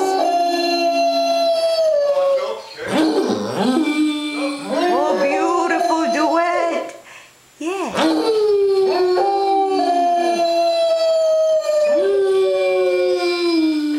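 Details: Two otterhounds, a 3-year-old male and his 1-year-old half-sister, singing a baying duet on the stairs: long wavering howls at different pitches overlapping, breaking into yelping notes midway, with a brief pause and people talking and applauding.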